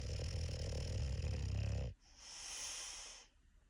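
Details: A sleeping English Bulldog snores with a deep, rumbling rattle, followed by a breathy hiss.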